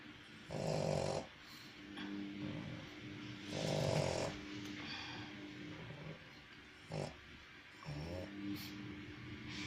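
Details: Sleeping pug snoring in a quiet room: rough, rattling snores roughly every three seconds, alternating with softer snuffling breaths and a short snort.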